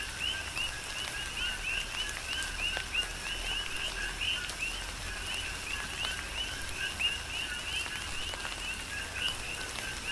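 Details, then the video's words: Several coqui frogs on the Big Island of Hawaii call through a tropical downpour, their brisk two-note chirps rising at the end and repeating rhythmically while rain hisses and drops tap nearby surfaces. "Tropical Rain & Coqui"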